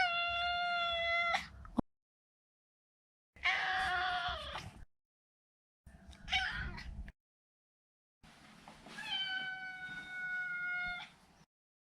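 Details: Four insistent meows from a neutered male Maine Coon called Maro, spaced by short gaps. Some are clear and level, others harsher and strained, and the last is a long sustained cry.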